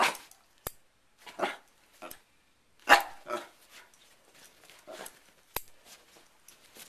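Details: Pet dog Sherlock, upset by a hair clip opening and closing, gives a string of irregular harsh barks, some with a growly edge, mixed with crisp clicking snaps between them.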